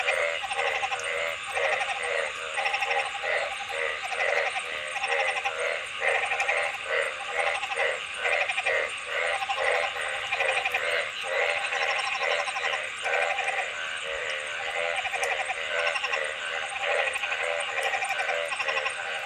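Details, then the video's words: Dense frog chorus of rapid, rattling pulsed croaks following one another almost without pause, with bright nasal overtones and a constant background hiss. "Frog Sounds ।। See what frogs look like while making sounds"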